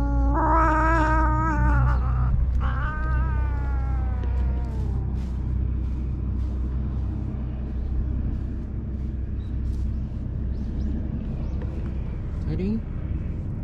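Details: Karin, a ferocious park cat in Japan turned jealous, gives two drawn, wavering yowls in the first five seconds, then fades into low traffic rumble with a brief faint cry near the end.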